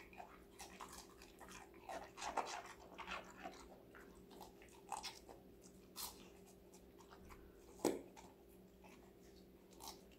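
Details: Five-month-old female Golden Retriever Connie chewing assorted vegetables in a small room, with scattered crisp crunches and wet chewing clicks, a louder bite near the end, and a faint constant hum beneath.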